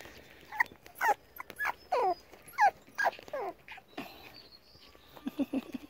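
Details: Five-week-old Pomsky puppies playing roughly together; short falling whiny yips and squeals in bursts roughly every half second, then a cluster of low rapid growl pulses at the end.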